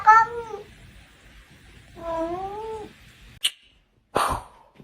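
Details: Domestic cat indoors giving two drawn-out wavering meows, about two seconds apart, followed by short clicks and a thump; people talk and laugh nearby.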